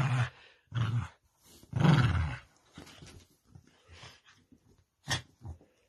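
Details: A female corgi playing tug-of-war with her dog bed gives short, rumbling growls and huffs in uneven bursts, the loudest lasting about half a second.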